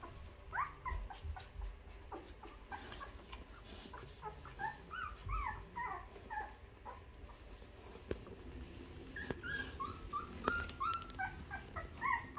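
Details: Newborn two-week-old puppies nursing on their mother's milk while she cleans them; many small high squeaks and whimpers come in quick clustered runs, several pups calling over one another, with soft rustling and suckling noises in a small room.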